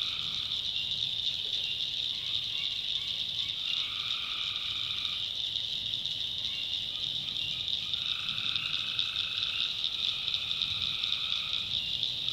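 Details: Night chorus of tree frogs from North Carolina backwoods swamp: unbroken high-pitched ringing drone overlaid by lower nasal trills in bursts of one to two seconds, separated by short gaps.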